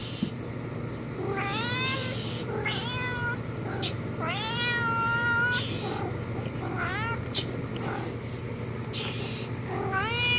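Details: Domestic cat talking to a friend outside the window: a run of drawn-out, wavering meows, some rising then bending down, one long and sliding, repeated every second or so over a steady low hum and a person speaking.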